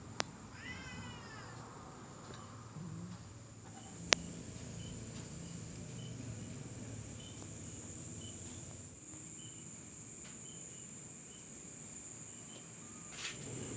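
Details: Bobtail cat household: Luna, a recently adopted former stray mother, with her week-old bobtail kittens that still sleep most of the time. One high, harmonic meow, rising then falling, opens the recording, then a steady high whine, background hiss and a sharp click.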